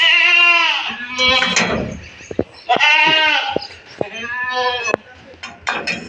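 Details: Three castrated male goats, 14 to 15 months old, being loaded into a vehicle after sale for Bakri Eid in India; three long wavering bleats about every 1.5 seconds, with knocks and rustling between.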